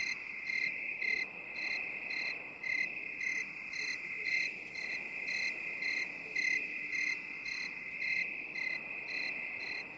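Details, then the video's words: Crickets in a binaural 8D relaxation recording: short high chirps repeat about twice a second over a steady, unbroken high trill, with a faint hiss in the background. "3 HOURS OF 8D CRICKET SOUND"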